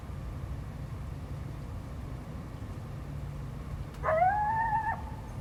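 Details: Territorial coyote howling back at a barking dog, 12 February 2025: after several seconds of quiet low rumble, one strong howl bursts in, sweeping upward and then holding a steady wavering tone for nearly a second before cutting off.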